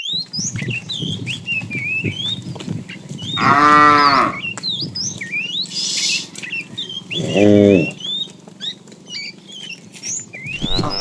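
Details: Cows of a tame herd roaming for food in the morning; two separate harmonic moos, each about a second long and roughly four seconds apart, over steady chirping and twittering of many small birds.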